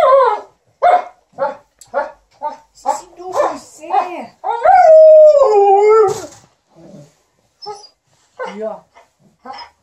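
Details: Indoors, an Alaskan Malamute and a Golden Retriever chatter to their owner as she irons: a rapid series of short, rising-falling woo syllables, one drawn-out wavering howl midway, then scattered quieter grumbles.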